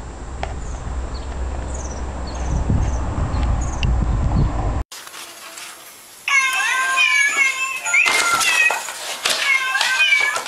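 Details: Domestic cat meowing in short repeated harmonic calls from about six seconds on, several in quick succession; the first half is a separate scene with background hum and faint clicks.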